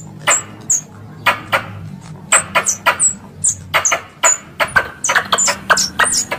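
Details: A squirrel's lure call for hunting, with irregular sharp, dry chip notes topped by thin high squeaks, sometimes in quick pairs and closely spaced clusters, over a soft low hum.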